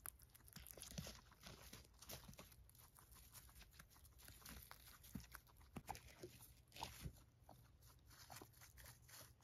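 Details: Several female pet guinea pigs eating hay indoors: dense, irregular crunching and munching, with soft clicks and bites scattered throughout and no vocal calls.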